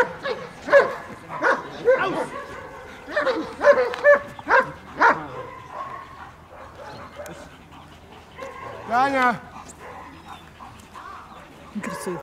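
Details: German Shepherd during bodyguard training in Odesa, Ukraine, giving a series of sharp, separated barks in the first half, followed by quieter stretches with a human voice speaking and a short whine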